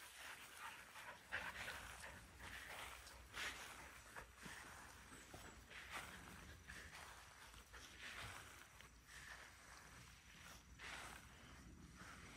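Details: Excitable Border Collie prone to excitement-triggered seizures, noticeably calmer in the afternoon than in the morning, breathing in soft breathy bursts at an uneven rhythm of roughly one to two per second, with low background rumble throughout.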